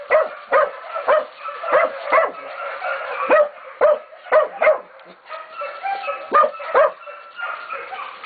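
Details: Young Catahoula and BMC pups, 11 to 16 weeks old, bay a pig at Golden Creek Catahoulas Kennel: hoarse barks come in clustered pairs and triplets with short gaps, several dogs calling over one another.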